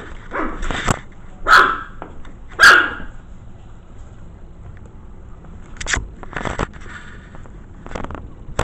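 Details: Maltese mix pups at five weeks old, curious about an uninvited camera in their corral, give two loud, bright yaps early on, then quieter whimpery yips amid clicks and scratching sounds.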